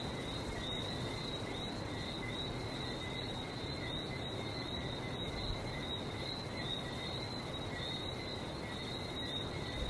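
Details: Continuous frog chorus recorded in Barbados: countless short, sharp whistled notes repeated rapidly and overlapping, a high ringing texture lasting the whole stretch above a constant low roar of the sea.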